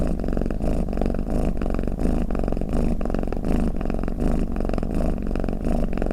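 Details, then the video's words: Snoring cat giving a continuous low, vibrating purr-like rumble, rising and easing in steady rhythmic waves roughly every two-thirds of a second, heard alone. "เสียงแมวกรน เปิดให้แมวฟังเคลิ้มๆไปเลยค่ะ | Snoring Cat"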